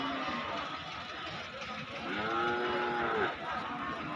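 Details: A cow lows at the busy Basunia Hat cattle market, Domar upazila, Nilphamari, Bangladesh, in unbroken rain on July 20, 2026. One long, bending moo swells in the middle and then fades, with rain noise and distant voices around it.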